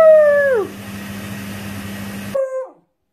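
A beagle puppy gives a drawn-out howl that slides downward at the end, then a brief second aroo.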